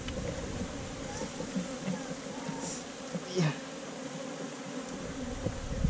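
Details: Honey bees humming at a hive inside a hole in a tree trunk during a honey harvest, filmed on a GoPro Hero5 Black; a steady low drone with layered overtones, a few faint clicks and brief louder swells near the middle.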